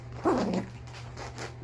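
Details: A Yorkshire terrier puppy gives a single short, high yelp while two Yorkie puppies play and tussle over a toy, with a steady low hum behind it.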